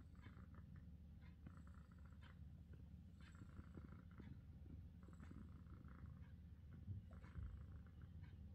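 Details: British Shorthair cat purring in a relaxed state: a steady, continuous low rumble with gentle pulsing throughout, plus a few faint higher rustles and soft clicks.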